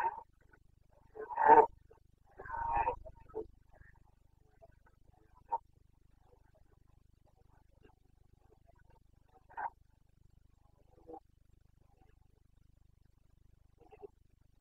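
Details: Carpathian red deer stag roaring in the rut, breeding season, Bucovina, 29 September 2022: two loud harsh roars near the start, then several fainter distant bellows spaced through quiet forest.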